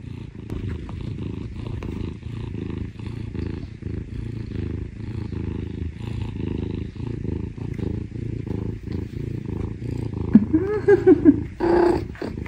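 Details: Scottish Fold rescue cat Parm, the younger of two brother cats, purring while wanting affection: a steady low rumbling purr with even pulses throughout, and a brief human voice near the end.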